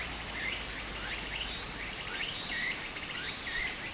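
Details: Summer cicada chorus by a Japanese stream: a continuous high-pitched buzz with short swooping phrases rising and falling about once a second, over a steady hiss of running water.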